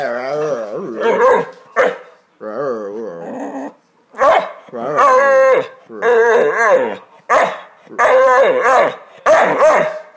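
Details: A female Hungarian Vizsla makes wavering, talkative whines and yowls, rising and falling in bursts, as if trying to talk while her owner urges her to speak.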